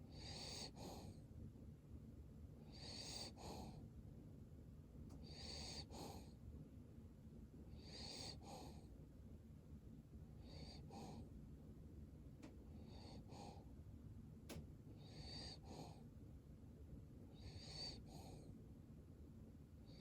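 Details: Cavalier King Charles Spaniel snoring in its sleep, about nine rasping, whistly breaths in twenty seconds, each a short wheezy double puff, repeated fairly evenly over a constant low hum.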